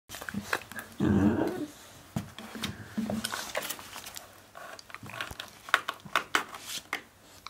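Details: Two puppies, a black hound and a black retriever, play-fighting indoors and biting each other's jaws; a short low growl early on, then scuffling, snuffles and sharp clicks of teeth and paws throughout.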